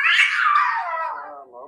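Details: Pet cat letting out a long drawn-out meow, starting high and sliding steadily downward over more than a second, ending in a softer low tail, with Turkish speech nearby.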